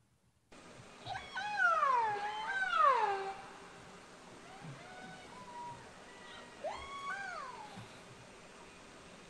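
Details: Orca, or killer whale, recording replayed in a classroom workshop for comparison with bird chirps: squealing, harmonic calls that rise then swoop downward, a loud pair near two to three seconds, softer repeats later over steady hiss.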